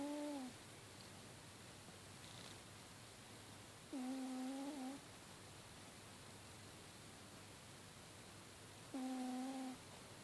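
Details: Sleeping cat snoring: three steady, tonal, slightly nasal snores with a level pitch, each under a second long, arriving about every four to five seconds, separated by quiet breathing over a constant low room hum.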